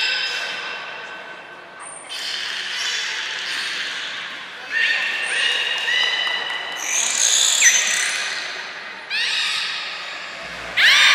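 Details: Captive belugas Hodoi, Gray, Nana and Niko during a training session at Port of Nagoya Public Aquarium, 5 June 2021: bursts of stacked, squeaky harmonic calls, some sliding upward, with a thin high whistle near the end, in an echoing indoor hall.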